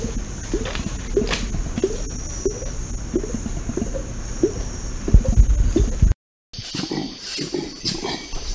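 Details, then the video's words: Wild orangutan, a species shown to produce two separate sounds simultaneously, much like songbirds or human beatboxers, giving a series of short, low, rhythmic pulses about every half second, followed after a brief gap by louder, noisier sounds. "Orangutans can make two sounds at the same time, similar to human beatboxing"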